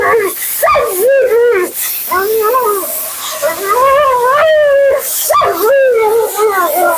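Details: Mila, a talkative female Siberian Husky at her second-ever grooming, vocalizing in the bath: continuous wavy, yodel-like whining phrases that rise and fall, broken by short pauses, in a small indoor room.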